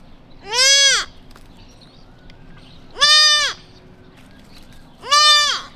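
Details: Tiny whitetail fawn, newborn and separated from its mother in a suburban neighborhood, crying for her; three strong bleats that rise then fall in an arch, spaced about two seconds apart, with faint background hum.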